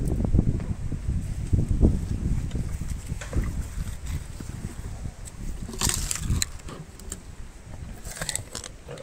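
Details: An elephant called Meri crunching sugarcane, recorded close for ASMR. Dense low grinding and thudding chews fill the opening seconds, then sharper crackling snaps of cane rise around the middle and near the end.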